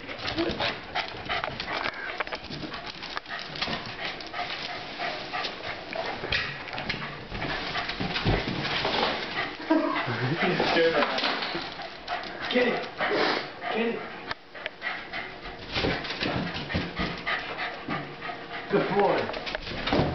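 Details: A Pembroke Welsh Corgi barks and yaps excitedly at birthday balloons amid sharp balloon pops and scuffling.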